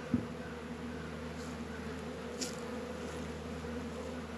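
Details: Honey bees buzzing at an apiary in northern Kentucky on a 72-degree February day, working around Warre and Langstroth hives; a steady low hum holds throughout, with a soft click at the start.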